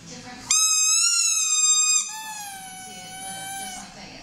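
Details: Female Maltese puppy howling indoors while copying the sound of her squeaky toy: a loud, tonal, slightly wavering note for about one and a half seconds, then a softer, gradually falling howl, with soft music behind.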